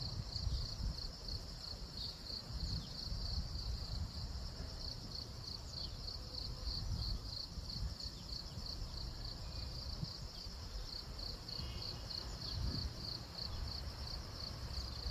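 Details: Cricket heard during the day, not at night, making a long shrill trill of rapid, evenly spaced pulses at a high pitch that carries throughout, backed by steady low-frequency outdoor noise.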